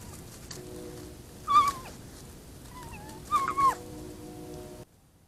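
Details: Fox at night in the woods, caught on a trail camera while screaming and running toward it: two loud, hoarse, wavering screams about two seconds apart over steady background hiss.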